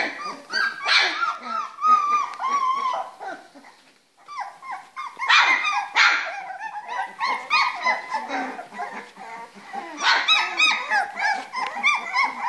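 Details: Litter of Springer Spaniel puppies, three weeks old, at play in a whelping box, giving a dense run of wavering, whiny squeaks and yips from several pups at once, with a short lull in the middle.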